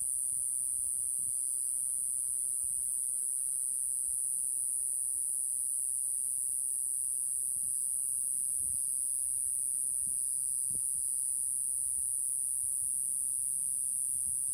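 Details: Singing from a fingertip in early-summer Okinawa, a tiny Mogannia minuta cicada about 1.5 cm long, calm and unafraid of people. It gives an unbroken shrill, high-pitched buzz with an even tone throughout, over faint low rumbles.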